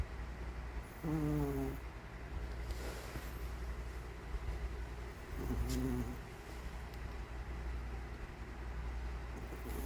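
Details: Snores from Nokyong, an old Maltese asleep, come as two brief whistled, slightly wavering nasal tones roughly four seconds apart, with a constant low background hum and faint rustling between breaths.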